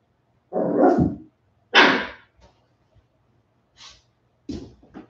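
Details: West Highland White Terrier puppies, 47 days old, indoors after an outdoor break: two loud, rough barks about a second apart, then a few shorter, fainter yips near the end, with a low steady hum underneath.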